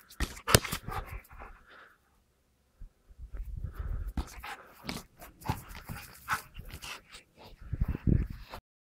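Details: Golden Retriever bringing a ball back during a first attempt at fetch; rapid breathy panting comes in bursts separated by a silent gap, with a faint whimper and low handling thuds.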